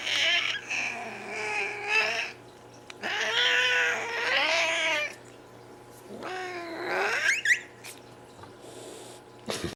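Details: Indoor cat making squeaks, hisses and growls: long, wavering, moaning yowls of two to three seconds each, a sharper rising squeal near the end, then a brief hiss-like burst.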